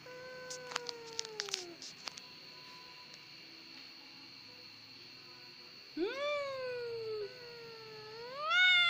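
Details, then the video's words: Domestic cat, called a crybaby cat (Indonesian 'kucing gembeng'), gives a short falling meow after a few sharp clicks, then, after a quiet pause, two drawn-out wavering meows that rise and bend downward; a steady high whine persists throughout. "CAT EASY TO CRY. KUCING GEMBENG"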